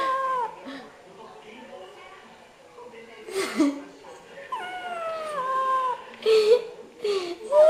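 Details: A cat gives a string of long, wavering meows that slide downward in pitch, several in a row with short pauses, alongside bursts of human voice and handling noise.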